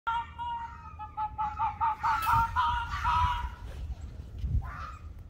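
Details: Ianto the Arctic fox in a domestic dispute with Waverly the red fox: a rapid series of shrill, harmonic yelps and chattering cries, rising into louder, harsher squeals, ending with a brief nasal whine.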